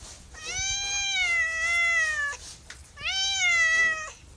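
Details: Two long, loud meows from a pet cat: the first stretches nearly two seconds with a steady, gently sagging pitch, and a shorter second follows after a brief pause.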